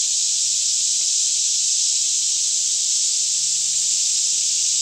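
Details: Forest cicada chorus near Franklin, Kentucky, mid-morning about 10am in calm air, Canon 5D Mk2 recording: continuous high, sizzling drone without pauses or changes in loudness, with faint low-pitched hum underneath.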